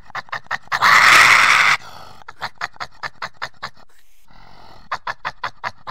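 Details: Badger giving rapid, rhythmic breathy huffs repeated several times a second, broken by a loud burst of harsh rasping noise and a brief pause, then the quick huffing resumes.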